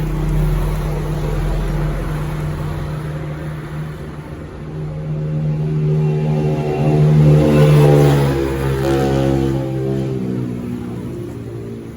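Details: A loud engine drones and revs outdoors, its tone swelling midway, with faint music underneath and no animal sounds.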